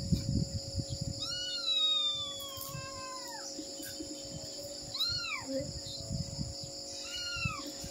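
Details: A mother cat calls while looking for her kittens: one long drawn-out meow that slowly falls in pitch, then two shorter arched meows a few seconds apart, over a constant high-pitched hum and some low rustling.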